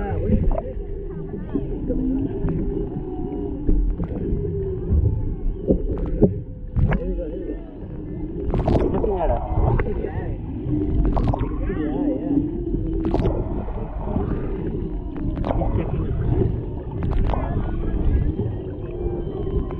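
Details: Humpback whales recorded underwater off Maui, Hawaii, near a boat, where a mother and calf interact and a male lingers in the background; a GoPro Hero 7 Black picks up wavering moans and squeaks over low rumbling water noise, with some talking.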